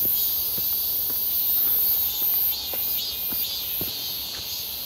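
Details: Cicadas calling near Seonbawi on a clear, hot midsummer day, 1 August 2023, recorded on a walk: a dense, steady high-pitched buzzing chorus with shimmering layered bands, plus soft regular footsteps crunching along.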